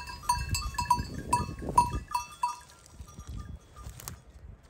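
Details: A mixed flock of sheep, goats and lambs grazing, with soft low tearing and munching bursts under bright clinking bells that ring roughly twice a second, steady at first, then thinning and fading toward the end.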